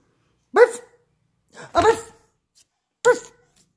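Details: After a bath, a Jug dog barks three times indoors: short, sharp, harmonic barks spaced about a second apart, the middle one slightly rougher, with nothing else audible between them.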